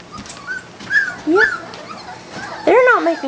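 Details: Labrador Retriever puppies, three and four weeks old, from a litter of Belle and Malley; thin rising-and-falling whimpers in short bursts, a louder arched whine near the end, soft human voice underneath.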